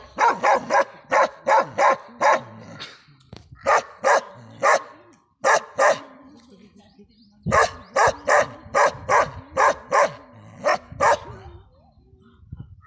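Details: Bakarwal dog delivering bursts of deep, harsh barks in groups of three to six, with pauses between groups and low voices in the background.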